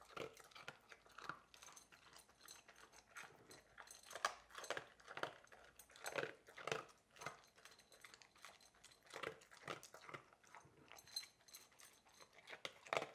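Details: Coco, a Labrador Retriever, eagerly eating at mealtime indoors: steady, crunchy chewing and biting in quick bursts, roughly one or two per second, with sharp clicky crunches over a quiet room.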